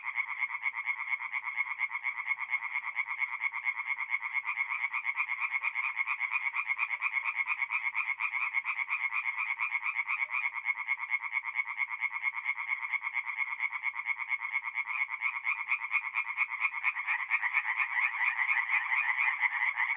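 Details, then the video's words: Dense nocturnal tree frog chorus at a forest pond in mid-April, north-east Italy: many frogs croaking at once in an unbroken, rattling wall of rapid pulses that grows slightly louder near the end. "relaxing forest pond by night with singing tree frogs"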